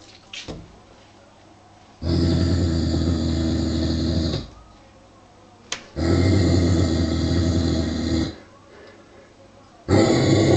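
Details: Indoors, a 49 kg male Giant Schnauzer eyes a sheepskin-covered wooden toy sheep warily, giving low, harsh growls about two seconds long, each followed by a short silence, with a third growl starting at the end.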